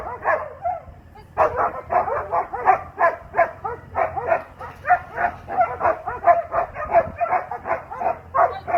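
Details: Heeling alongside a 14-year-old handler, the young Doberman Asmar barks repeatedly after a short quiet start, the barks coming in quick, loud, somewhat irregular succession.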